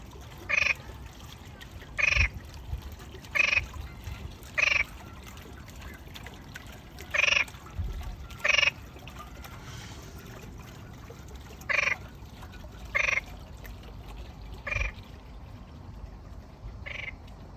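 A frog gives short, harsh, rattling croaks, repeated about once every second or two.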